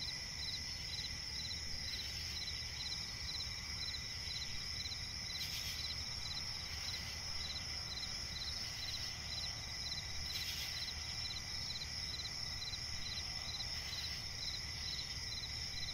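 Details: Night swamp forest ambience with crickets: continuous high-pitched trilling and rhythmic pulsed chirps, interrupted by occasional brief broadband bursts around five and ten seconds, over a low background rumble.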